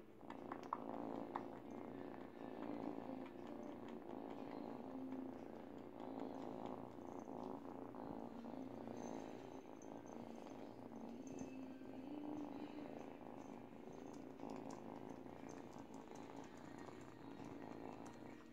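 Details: Teething eight-week-old kitten Kitty purrs for nearly twenty seconds while biting and wetting a baby blanket indoors; the rumble pulses rapidly and evenly, swelling slightly at times, with soft chewing and rustling sounds.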